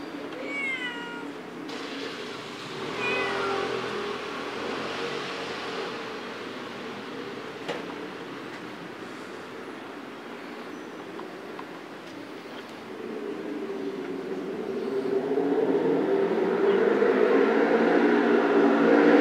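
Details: Street cat in Istanbul, two clear meows in the first few seconds, each falling in pitch with rich overtones, then a long stretch of steady background rumble that swells louder toward the end.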